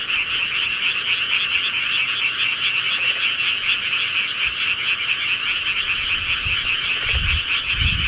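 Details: Dense chorus of countryside frogs, steady rapid trilled croaking throughout, with a few low bumps of background noise near the end.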